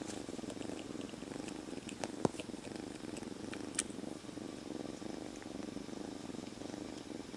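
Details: A kitten, a stray until three days before and recently rescued, purrs steadily and loudly inside a jacket: a soft continuous rumbling vibration with a few faint rustles and clicks. Cat (Felis catus), purr.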